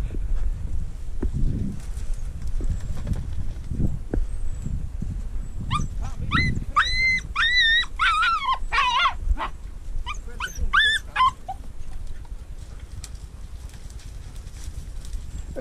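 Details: Treeing Walker Coonhound out mink hunting together with a dachshund: a burst of high, ringing yelps and barks with bending pitch runs for about five seconds, then a few more short barks, over steady rustling and low outdoor rumble.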